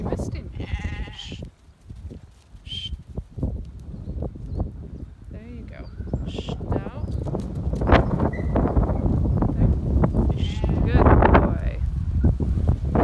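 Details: A herd of goats driven by a young stockdog, six months old, lets out repeated shaky bleats in bursts. Steady scuffling of many hooves and a human voice run underneath.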